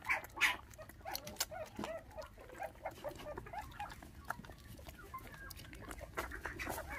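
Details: Five orphaned puppies, bottle-fed with milk after their mother was taken by dog thieves when they were six days old, give rapid, high, squeaky whimpers over and over, mixed with sharp clicking and handling noises.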